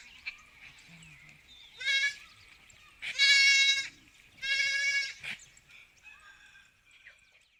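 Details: Sheep on a sheep farm bleat in loud, wavering bursts, with softer calls between them.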